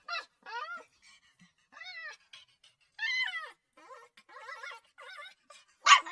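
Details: Puppy crying: separate high whines that arch and fall, spaced about half a second to a second apart, ending in a brief harsh yelp.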